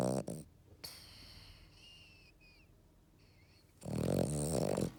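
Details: Eleven-year-old female French Bulldog named Matsuri snoring during a nap after a walk; a loud, rough, low droning snore near the end, with brief soft whistling breaths before it.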